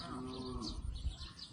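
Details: Water buffalo ploughing a field in Laos: a short, low, steady-toned moo fades after about half a second, followed by a low rumbling and clattering background.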